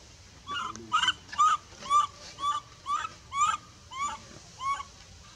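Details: Baby female monkey, pushed away from milk by her mother in the Bayon area, gives steady shrill cries, each a short arched wail with a falling tail, repeated about twice a second.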